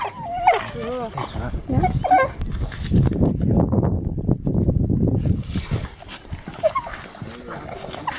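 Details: African wild dogs give high, bird-like twittering chirps around feeding, then low rustling and human voices take over.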